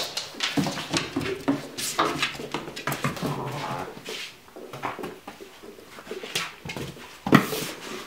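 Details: Twelve-week-old Ibizan Hound puppy playing with a ball: short whiny whimpers and squeaks scattered across the clip, mixed with scuffling and knocking noises, with a sharp louder burst near the end.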